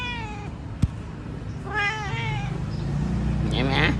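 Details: Pet cat giving two drawn-out meows, the second rising then falling, between clicks and a person's voice, with a constant low motor hum underneath.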